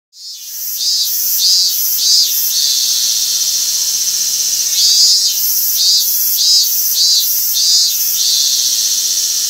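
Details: Robust cicada (Hyalessa maculaticollis) singing at Gaikotsu-yama, Japan, on 28 August 2021: high, buzzy pulsed phrases repeated in bursts of three to five over a steady shrill insect hiss.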